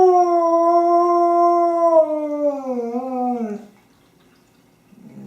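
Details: Honey, a pet dog playing with her favorite squeaky toy on 24 January 2012, gives one long, steady howl that wavers and drops in pitch before fading after about four seconds.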